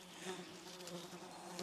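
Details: Swarm of gadflies escorting a mushroom picker in a forest in the southern Moscow region, early July 2021, around midday; a steady, low, droning buzz with a continuous hum throughout.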